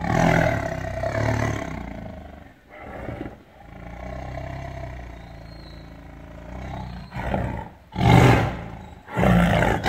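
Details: Tiger roar: a long, sustained low rumbling growl for several seconds, followed by short, sharp, explosive roaring bursts toward the end.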